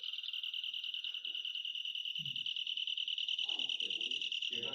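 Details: Tree cricket (긴꼬리) song played back, heard a lot at night and made with the wings while poking its head out from a split leaf; a high pulsing trill repeats rapidly and evenly throughout, with brief speech near the end.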